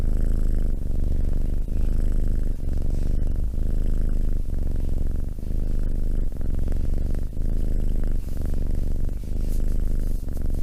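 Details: Close purring of a domestic cat: a low, buzzing drone pulsing in a regular breath rhythm roughly every second for the whole stretch, in otherwise quiet surroundings.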